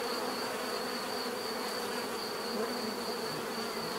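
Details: Steady, dense buzzing of bees with even loudness, low humming bands and a persistent high whine running through the whole short stretch.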